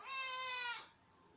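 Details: Domestic cat meowing at feeding time in a home shared by several cats, among them a black adult, a black kitten and a tan Maine Coon tabby; a single clear, drawn-out, harmonic meow lasting under a second, holding steady then fading.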